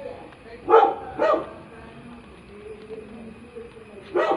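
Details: Labrador retriever puppy, a new friend, letting out two brief high yaps close together, a quiet stretch, then one more sharp bark at the end.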